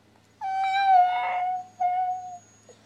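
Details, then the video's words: A 17-month-old female Siberian Husky 'talks' back when her owner asks if she is ready to go outside. She gives a steady, clear, whistle-like tone lasting about a second, a brief pause, then a shorter matching tone. "Siberian Husky talking"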